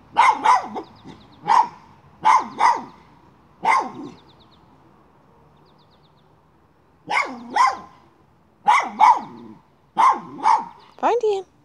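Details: Miniature schnauzer hunting a chipmunk, moving a pipe: sharp high barks in quick pairs and triplets, a pause of about three seconds, then another run of rapid barks.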